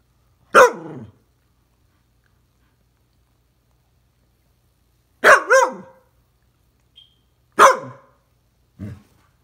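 An Alaskan Malamute gives a few deep, gruff barks with long pauses between them.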